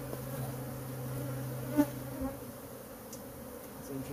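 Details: Honey bees from a colony living in a porch cabinet, stirred up during removal, make a continuous deep drone with a steady pitch, broken once by a short sharp knock near the middle.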